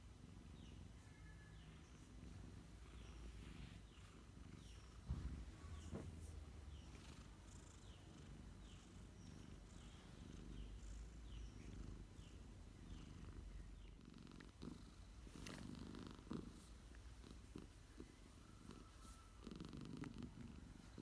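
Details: Domestic cat purring during an afternoon nap: a quiet, steady low rumble throughout, with faint scattered higher chirps and small clicks over it.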